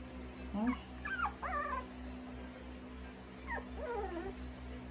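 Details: Cocker spaniel puppies whimpering: high, wavering whines with bright harmonics, a rising squeal then falling and bending cries, a short pause, then two more thin whines near the end over a steady low hum.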